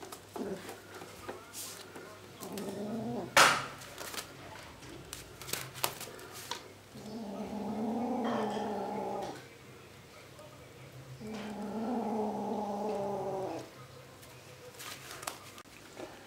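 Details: Several house cats vying for the same sock, giving two long, low, drawn-out growling yowls of a few seconds each. Between them come sharp thumps, rustling and shorter bursts of sound in a small indoor room.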